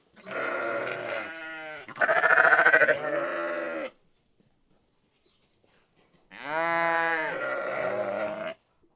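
A sheep gives two long, wavering bleats with a quick, pulsing tremble, separated by a few seconds of quiet.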